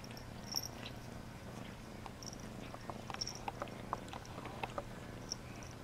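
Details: Cat purring while being bathed: a low, even, throbbing drone runs the whole time, overlaid by brief wet clicks and light tapping noises at irregular intervals.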